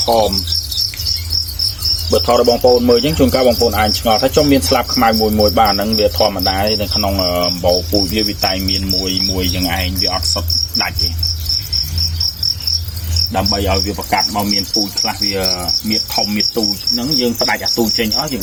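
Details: Crickets kept on a breeding farm in Battambang province, Cambodia, give a continuous high pulsed chirp, about four pulses a second, beneath a man's ongoing speech.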